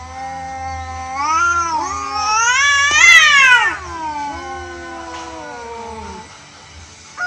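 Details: Orange cat and rival strays in an unstaged fight; overlapping drawn-out yowls climb steadily to a tense, loud climax around three seconds, then slide down into a lower, fading moan.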